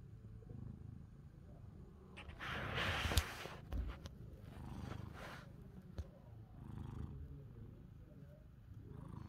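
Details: Pani and Chester, two cats seeking affection, with a low rumbling purr running throughout, broken near the middle by a brief loud rustling burst and a few soft clicks.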